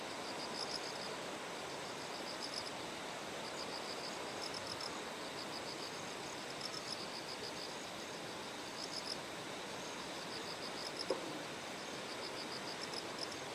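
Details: High bell-like chirping bursts from a bell cricket near Kikuchi's terraced paddies in Kumamoto, Japan, morning of 6 September ahead of Typhoon No. 10, repeating in groups of rapid pulses above a broad background of flowing stream water.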